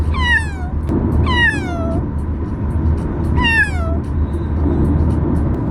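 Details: Fox, a male Bengal kitten, crying in the car while being brought to his new home for the first time. Three bright, descending meows in quick succession, separated by about a second, with steady vehicle drone underneath.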